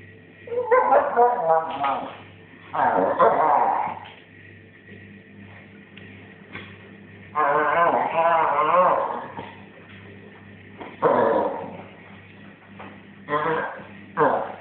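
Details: Female Basset Hound, a pet, making drawn-out 'raar' vocalizations while chewing her hind feet. Four or five rough, wavering, moan-like bursts of one to two seconds each are separated by quiet pauses, over a faint steady hum.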